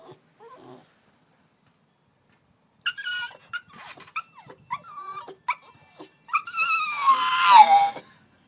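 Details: Coco-T, a puppy put outside after a toilet accident, cries in a run of short high yelps and whimpers that bend downward, building into a long loud wavering howl-like wail near the end.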